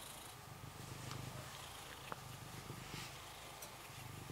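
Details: Steady rhythmic purring from Rysiek, a cat stroked in the isolation room of the Milanówek animal shelter in Poland; a deep even throb throughout, with light rustling and a soft click midway.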